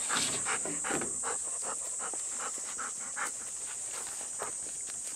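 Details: Panting Golden Retriever out on a sticky summer morning, with Bis and Kohaku: rapid airy huffs around two and a half per second that fade slightly toward the end, against a steady shrill background drone.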